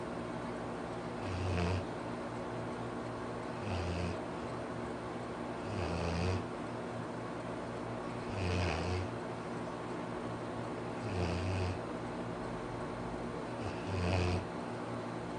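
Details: Pet Labrador Retriever named Arfie asleep and snoring: six deep, throaty rumbling snores, each about half a second long, repeating roughly every two and a half seconds, with breathy hiss between them in a quiet room.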